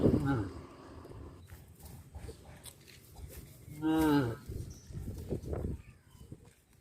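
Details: A single short moo rises and falls midway through, from cattle wandering village streets near a traditional farm, amid rustling and scattered low background sounds.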